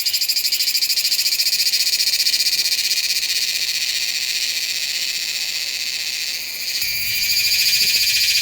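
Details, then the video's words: Meimuna iwasakii cicada singing in September at Nanzhuang, Taiwan, recorded with a Sony A7s3 and Rode VideoMic NTG: loud, high, continuous buzzing shrill with a fast throbbing pulse, dipping briefly near six and a half seconds. "岩崎寒蟬 蟬鳴聲"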